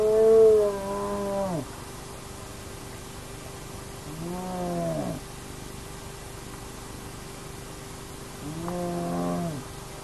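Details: Naledi clan hyenas at an active den on a remote nomad camera give three loud, harmonic calls. Each one arches and then drops, spaced about four seconds apart, over a steady low hum.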